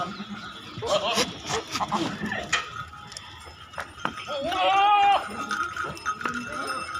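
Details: A goat on a goat farm in Naryanpur, Assam, gives a single quavering, wavering bleat after a stretch of human talking.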